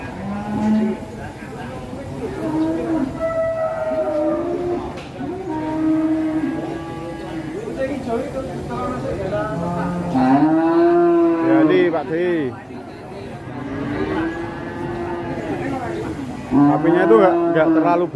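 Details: An agitated, very aggressive cow, not very large, unloaded from a truck, bellows repeatedly in low, sustained moos with rising-falling contours, some louder and harsher near the middle, amid people's voices.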